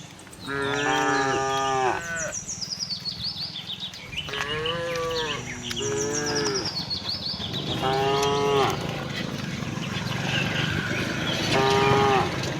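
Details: Herd of tame cows roaming a cattle farm, looking for grass; repeated moos from several animals, some overlapping, over steady low rumbling background noise and scattered bird twitters.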